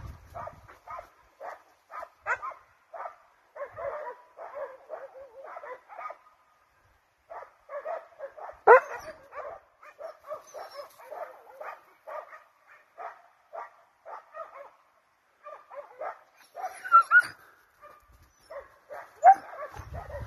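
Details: Pack of hunting dogs, hounds and Russo-European Laikas, running a wild boar: a clean, steady stream of rapid yelping barks, several dogs overlapping, with only brief pauses over twenty seconds.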